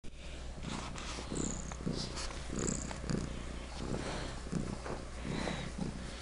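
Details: Domestic pet cat purring particularly loudly indoors: a steady low rumbling purr pulsing in regular cycles about every half second, with faint higher squeaks and soft room noise over the top.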